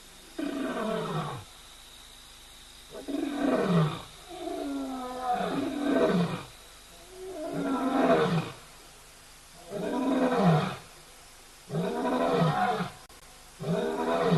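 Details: Lion roaring: six deep, grunting bursts of about a second or more each, separated by short silences, with harmonic bands sliding downward at the end of each burst.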